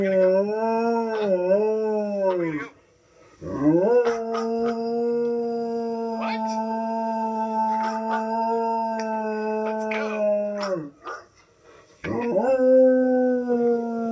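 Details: An adult male Alaskan Malamute, indoors, gives long, mellow howls, one held steady for several seconds before breaking off, reacting on hearing a video of himself played.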